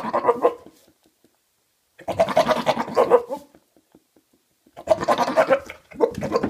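A Maine Coon cat gives rough, warbling, goat-like bleats in short bursts separated by pauses.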